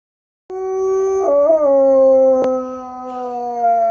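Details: Roy the dog howls at coyotes: a long, sustained howl that wavers slightly in pitch before settling lower.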